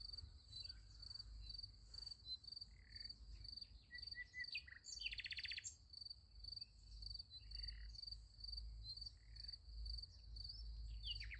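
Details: Beside a sunflower field at night, crickets keep up a high, evenly pulsed chirp, joined by scattered bird calls and a short buzzy burst, over a low rumbling background.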